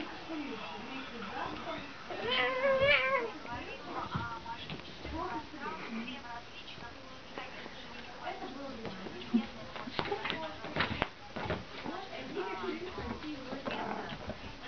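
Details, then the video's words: Squabble between a pair of domestic cats indoors, a Thai Siamese cat and a Siberian cat: wavering, rising and falling meows and drawn-out complaining yowls, with human speech running through much of it. "Разборка семейной пары котов"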